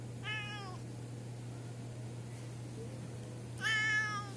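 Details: Orange cat at an alley snack bar, mouth appearing strange, meows twice about three seconds apart, each call a short harmonic-rich cry that rises then falls, over a constant low electrical hum.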